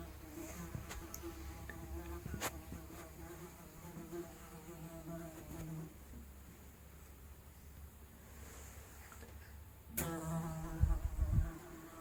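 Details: Housefly buzzing, recorded as analog sound without processing; steady low droning hum with harmonic bands, fading midway then swelling louder near the end with brief knocks.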